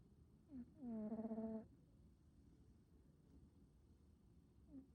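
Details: Male American Shorthair cat with a black smoke coat, snoring: one loud, nasal, tonal snore of about three-quarters of a second with a slight pulsing waver, plus fainter short squeaky breaths before and near the end, in a quiet room.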